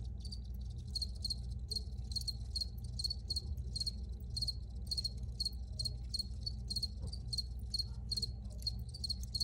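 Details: Chorus of crickets: high, clean chirps pulsing steadily two to three times each second throughout, backed by a continuous deep background drone.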